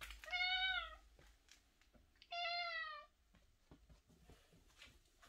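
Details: Indoor cat that keeps crying while roaming the room gives two clear, long meows in quick succession, each bending slightly downward at the end, with light tapping and shuffling noises after.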